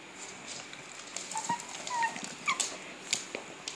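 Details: A 9-year-old female Pekingese gives thin, high whimpering cries, short bending whines in quick succession, her excited "cry" when asked if she wants to go for a ride.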